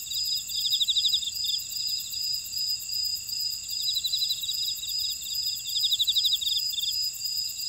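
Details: Field insects in a Jeju Island buckwheat field, Ora-dong, South Korea, calling together: sustained shrill high buzzing layers and repeated bursts of fast pulsed chirps, three main bursts in under eight seconds.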